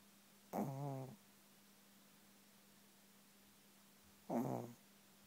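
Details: Chihuahua fast asleep indoors, snoring: two short, low, rasping snores about half a second each, spaced nearly four seconds apart, over a steady faint electrical hum.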